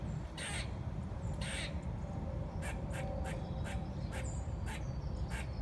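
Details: Singing squirrel: two longer rasping calls open, followed by a string of shorter, sharper chips at uneven spacing, all over a constant low-pitched background rumble.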